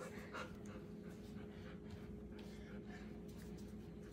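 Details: Bernese Mountain Dog playing in a babies' pool, panting in soft, quick breathy bursts over a steady low hum, with faint background noise and no clear speech.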